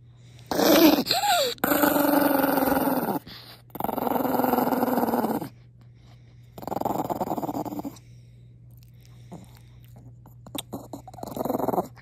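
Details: Angry Maltese Pongpong growls after a kiss, indoors; a sharp whiny yip opens, then sustained gravelly growls in bursts of one to two seconds separated by brief silences.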